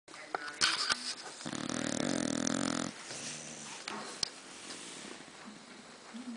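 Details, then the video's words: Dog snoring loudly indoors: one long rasping, throaty snore lasting about a second and a half, then quieter breathing and scattered small noises. "My Loud Snoring Dog"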